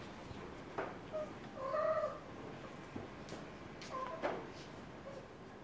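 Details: A white cat indoors at home makes soft, faint meows, a longer one near two seconds and a shorter one past four seconds, with light knocking sounds between them.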